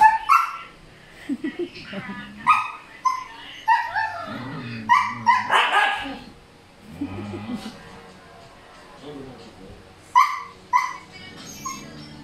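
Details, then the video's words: Male Siberian Husky made noisy by a female in heat, giving short whiny yelps and barks in scattered bursts, mixed with a person's speech telling the dog to come in. "someone's in heat... noisy male husky"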